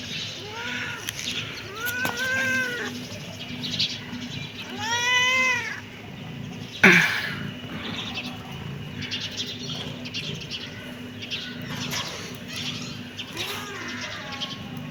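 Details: Kitten meowing: several drawn-out, arched meows that rise then fall in pitch, spaced a few seconds apart, the later ones fainter, over a steady low hum and a sharp click midway.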